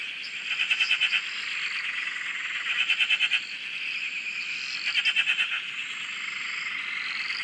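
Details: Many frogs chorusing at a dam in Australia, recorded from a shack: a near caller gives rapid pulsed rattles roughly every two seconds, about three bursts, over an unbroken high, shimmering chorus of more distant frogs.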